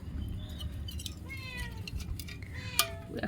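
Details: At feeding time, with boiled fish set out, cats give drawn-out, slightly falling meows, several overlapping, beside a woman's voice and a sharp clink of a dish.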